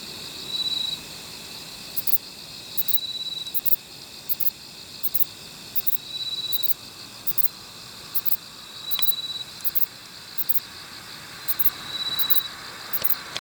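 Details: Kobane-himegisu bush cricket, a short-winged katydid, recorded near Toyanogata Park in Niigata, Japan. It gives short, sharp, very high chirps in bursts about every 0.7 seconds. A thin steady tone recurs faintly underneath.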